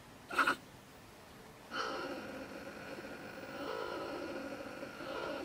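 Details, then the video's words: Female stone marten (beech marten) living in a woodpile beside a shed in Germany, ranting in bad temper around 10 pm; a sharp short burst, then a long harsh, tonal scolding call with stacked harmonics. "Our Ranting Neighbour Mrs. Stone Marten - Frau Steinmarder flippt aus"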